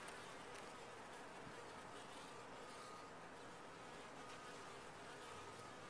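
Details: Honey bees in a top-bar hive produce an unbroken, even buzz, dense and rustling, with a thin steady whine layered above the colony's hum.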